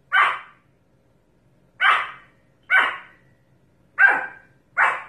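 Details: Pomeranian barking steadily: five sharp, high barks at uneven intervals of about one to one and a half seconds, with nothing else clearly audible.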